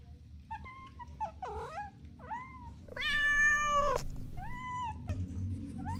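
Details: Playful kittens on grass outdoors giving a string of short meows of varied pitch, some rising then falling, then one long, steady, drawn-out meow, followed by a few brief meows, over a low background rumble.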